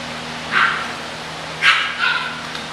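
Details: Yelping from English bulldog puppies being sold for Christmas: three brief high yips, a lone one then a quick pair a second later, over faint constant hum.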